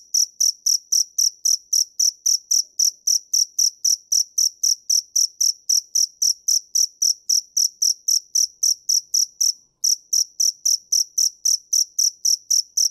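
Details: Cricket calling with a steady run of high, shrill chirps, about four each second and evenly spaced, broken by one short pause near the tenth second; nothing else is heard.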